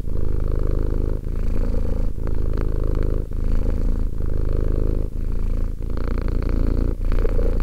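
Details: Two-year-old domestic cat purring, recorded close up: a steady low rumbling purr broken into long cycles of about a second each, with brief pauses between breaths, loud and continuous.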